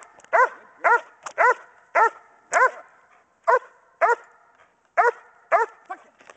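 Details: Pregnant German Shepherd Dog Kodiak barking during Schutzhund bark and hold training, recorded January 15, 2010, three weeks before her litter is due; strong repeated barks about twice per second, with short irregular pauses.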